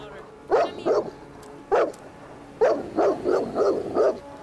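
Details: Bernese Mountain Dog, mad after a snapping turtle attack, barks in bursts: a quick pair, a single bark, then a rapid run of four or five harsh barks, with faint human speech underneath.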